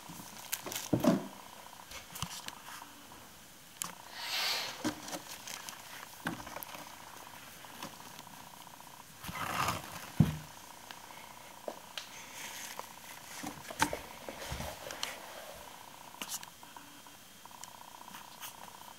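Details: Babar, a 16-week-old male Bengal kitten, purrs on his very first day in his new home while playing and exploring a climbing tree. A low, steady rumble runs beneath scratching, rustling and occasional sharp knocks from play.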